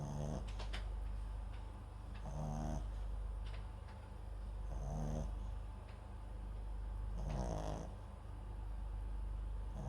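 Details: MAX, a pet Papillon × Japanese Chin mix dog, asleep with a microphone placed beside him; soft snoring breaths recur every two to three seconds, each a brief raspy, nasal rumble over a steady low background hum.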